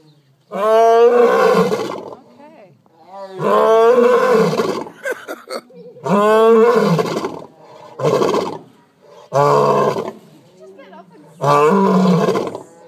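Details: A lion at an animal rescue facility in Eureka Springs, Arkansas, roars in its sleep, a series of deep, throaty roars, each swelling then fading, about every two seconds.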